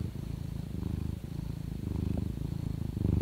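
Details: A domestic cat purrs in a low, steady rumble that swells with each breath. Purring signals happiness and contentment, often in a relaxing setting, while being stroked, or when a mother nurses kittens.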